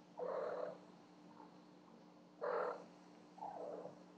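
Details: Night-time racket from house cats Cleo and Annie as they bring gifts, recorded on a Yi Home Security camera: three short muffled mews, the first two strong and two seconds apart, the last softer, against a faint steady hum.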